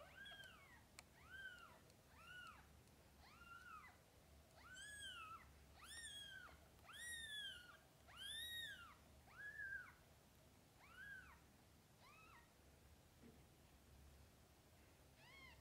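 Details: Mother cat with kittens; about a dozen thin arched mews follow one another at a fairly even pace, louder and overlapping in the middle, then thinning out toward the end, with soft background hum.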